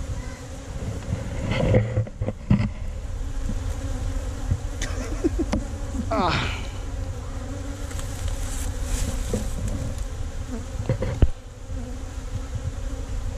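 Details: Bees droning around a tree-trunk hive as hunters harvest honey, captured with a GoPro Hero5 Black; a continuous low buzzing hum broken by sharp knocks, scraping and handling noise throughout.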